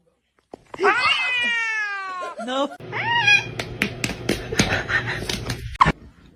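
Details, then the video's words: Cat meowing indoors: a long, drawn-out meow with a slightly falling tone lasting over a second, then a shorter rising-falling meow, followed by rustling, clattering and household noise. "kitten meowing crying"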